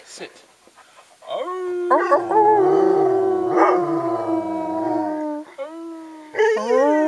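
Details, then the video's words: Three dogs named Ben, Ludo and Tina howling together: long sustained tones with wavering overtones, several voices overlapping, a brief pause, then a fresh howl rising at the end; a person's voice briefly nearby. "The howling"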